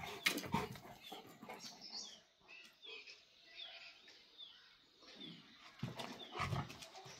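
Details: Baan Gaddi Himalayan sheep dog facing a Tibetan Mastiff: loud harsh barks open the clip, then quieter scuffling with soft high falling chirps, before deep gruff barks return near the end.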